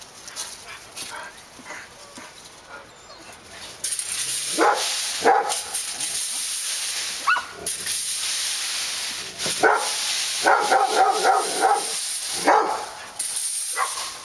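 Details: Several dogs barking on Park Drive: short harsh barks in scattered bursts, some in quick clusters, over a steady broadband hiss of wind or traffic that starts a few seconds in.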